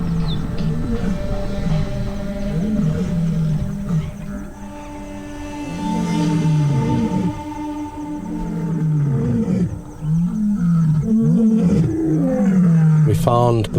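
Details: A vocal lion pride gathered together in the centre of Dead Tree Island, Moremi, roaring after sensing rivals. Deep grunting roars arch and fall in repeated bouts, several animals overlapping, over a steady background music drone.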